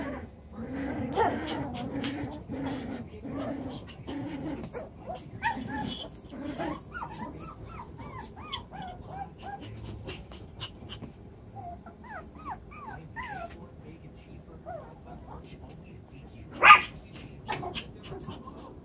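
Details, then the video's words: Chocolate brown Toy Poodle puppies, seven weeks old, playing in a pen just doubled in size; scattered thin, high whimpers and short squeaky yelps come in small bursts between quieter rustling, with one loud knock late on. "Chocolate brown Toy Poodles 7 wks old"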